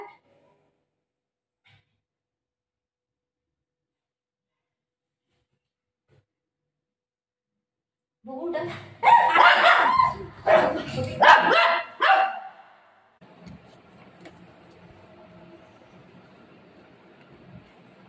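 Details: Dog barking indoors in a short burst of loud, harsh barks from about eight to thirteen seconds after a long silence, followed by softer low rumbling noise to the end.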